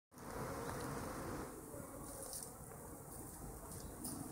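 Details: Kept honeybees producing a dense, steady droning hum of many wings, low and continuous throughout, slightly louder in the first second and a half, with faint high chirps in the background.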